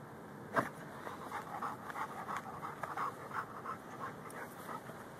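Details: Ridgeback–Bull Mastiff cross hunting pocket gophers, phone recording: soft, irregular breathy panting puffs throughout, a sharp thump early on, low background noise.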